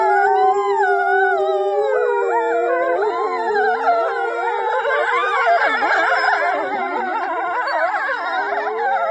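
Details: Huskies in a funny dog compilation howling and 'singing' indoors: several overlapping wavering voices, long sliding howls that rise and fall with yelping, warbling inflections, sustained for the full stretch with no pauses.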